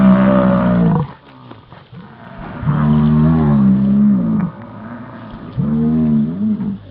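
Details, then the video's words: Rutting American bison in Yellowstone: deep, resonant, moo-like bellows, each about one to two seconds long, with a bending pitch and strong low harmonics, three calls with quiet breaks between. "Sounds of the Yellowstone Bison Rut"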